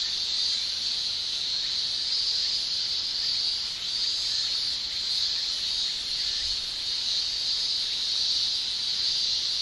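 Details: Japan in summer: male cicadas shrill together, the tymbal song a seamless high, hissing whine with soft rhythmic surges of loudness throughout.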